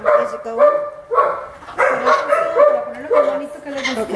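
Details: Milette, an orphaned baby howler monkey, objects to her veterinary care with whiny, tonal cries. The cries repeat roughly twice a second in short bursts, and human voices murmur in the background.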